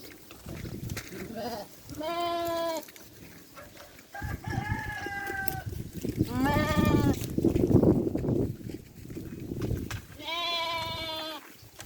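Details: Farm sheep (Ovis aries) bleat in quavering, nasal baa calls while eating, with low chewing and rustling sounds between them.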